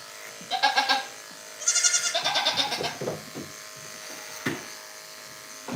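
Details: Goat bleats from The Willful Goat Farm & Home: one short quavering call, then a longer wavering bleat with rapid pulsing, followed by quiet shuffling and a steady background hum.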